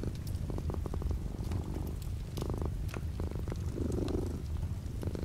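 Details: Cat's low, steady purr against light rain beyond the window, the rumble dominating with short bursts of faint rattle and sparse drop clicks in the background.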